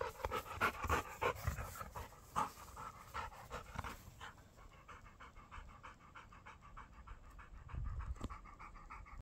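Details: A Labrador pants quickly and rhythmically, with breathy puffs coming several times a second. The panting is louder at first, then settles into quieter, even breaths with light background noise.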